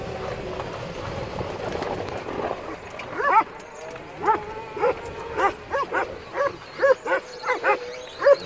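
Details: Male Akbash dog, a rescue adopted from an animal shelter, at play: after a noisy, muffled start comes a run of about eleven short, sharp barks, roughly two each second, fairly evenly spaced.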